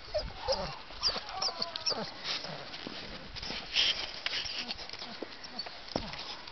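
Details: Six-week-old puppies, a wolfhound, staghound, mastiff and Great Dane cross mother with a bull arab father, filmed in July 2010; short high whimpers and yips scattered through a busy, noisy background with faint voices.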